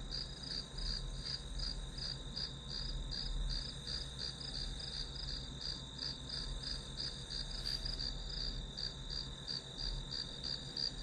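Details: Grass insects chirping as study ambience, a shrill pulsed call repeating roughly three times per second over a steady high trill, a low hum, and one brief sharp tap.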